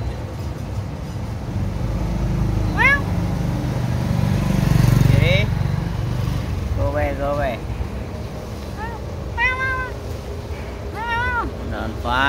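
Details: Street cats being fed outdoors, several meows in quick succession, some rising then falling and some with stacked wavering harmonics, over a low rumble of traffic and a person's voice in an urban setting.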